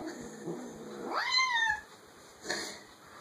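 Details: Domestic cat indoors giving an amusing vocalisation: a short rising then falling meow, followed by a brief faint sound near the end over steady background hum.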